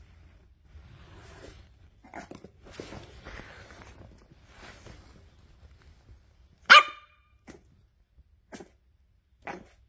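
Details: Boston Terrier puppy barking at its owner: faint rustling and soft noises at first, then one loud, sharp bark followed by three quieter, brief yips spaced about a second apart.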